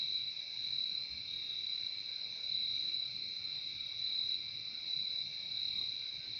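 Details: Crickets trilling continuously, a shrill, even, ringing tone held throughout with mild pulsing swells in volume and a quiet low background hiss.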